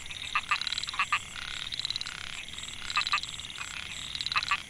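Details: Microhyla pulchra males, recorded 2014 in Mae Hia rice field near Chiang Mai, Thailand, calling to win females. Loud paired clicks and fast buzzy pulse runs come in bouts every second or two, many frogs overlapping above a high hiss.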